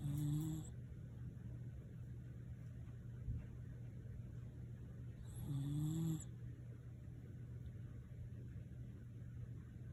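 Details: Snoring from Nene, a Shiba Inu: two low, nasal, tonal snores about five seconds apart, each lasting under a second, over a constant low droning hum.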